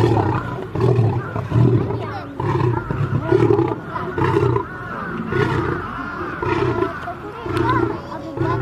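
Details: Two fighting lions give pulsed, guttural roars and snarls roughly once a second. The rough bursts alternate with short pauses, and a faint steady tone runs underneath.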